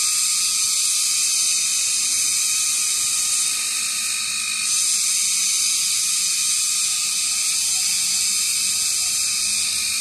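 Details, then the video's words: Many kagang cicadas clinging high in trees sing at dusk around 6 pm during summer, producing an unbroken, intense metallic hiss-like buzz that holds steady, with a brief softening in the middle. "Huni ng kagang"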